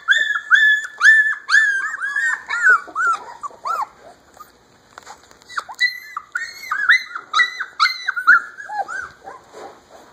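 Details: Alaskan Malamute puppies from one litter, 3½ weeks old, howl together in thin, wavering, whiny notes that rise and fall.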